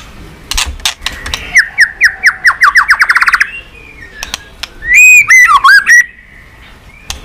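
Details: White-rumped shama song used to stimulate pet shamas: a rapid series of repeated descending whistled notes, then loud, richly modulated clear whistles and sharp clicks, indoors.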